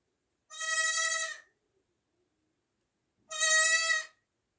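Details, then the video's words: Newborn goat kid, 2024, giving two long, wavering, nasal bleats separated by nearly two seconds of quiet. "new born baby goat sound effects"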